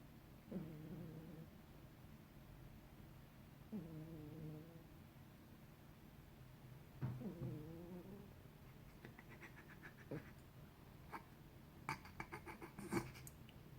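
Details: Sleeping pet cat snoring: three low, nasal, harmonic snores near the start, middle and around seven seconds, each about a second long, followed by faint rapid clicking and rustling toward the end.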